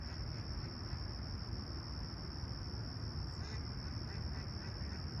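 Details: Crickets at sunrise on a clear, calm summer morning at Toronto's Humber Bay Shores, July 28, 2020, 20ºC: an unbroken, steady high-pitched trill holds through the clip above a dense, low, constant rumble.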